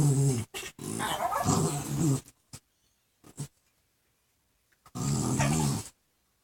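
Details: Two dogs, a chihuahua-pug cross and a pug cross, playing indoors and making absurd noises: a loud, low rumbling growl for about two seconds, a few short snorts, then another deep growl burst near the end.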